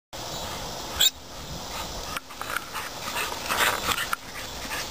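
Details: Olde English Bulldogges playing in the yard; one short, sharp yelp about a second in, then soft scattered scuffing sounds over a constant outdoor hiss.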